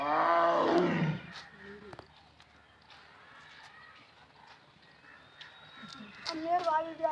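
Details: Tiger giving one deep roar that falls away after about a second, followed by quieter background sounds and what seem to be people's voices toward the end.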